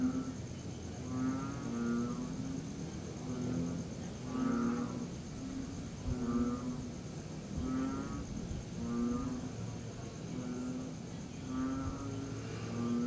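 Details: Tree frogs calling at night in September 2021, during a pause in long, steady rain; several low, nasal, harmonic croaks overlap, each burst repeating roughly every second, over a constant soft hiss.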